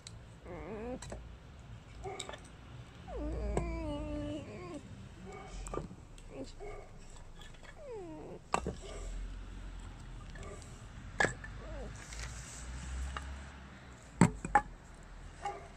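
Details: Alice, a pet red fox, greets visitors in a small room with several wavering, nasal whines, longest near the start. Quieter squeaks follow. Sharp clicks and knocks break up the recording, with low room rumble underneath.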